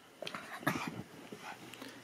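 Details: Maltese puppies indoors welcoming their owner home from an outing: short, whiny yelps and whimpers come in scattered bursts, mixed with a woman's cheerful talk in a small room.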